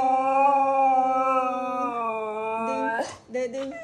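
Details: A female Siberian Husky singing along to a song with a long sustained howl that holds steady, then steps down in pitch, ending in short broken yelping notes and a breathy noise.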